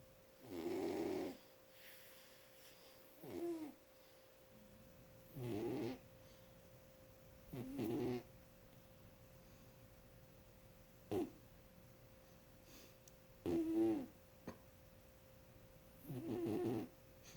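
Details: Sleeping cat snoring: seven soft, rasping breaths spaced about every two to three seconds, each a brief rough buzz, separated by quiet pauses, with a steady low electrical hum behind.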